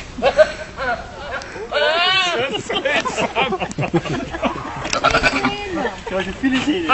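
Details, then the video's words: Loud goat scream, a long quavering bleat rising and falling around two seconds in, followed by shorter bleats amid people talking and laughing. "Goat Sound, Funny Goat Scream."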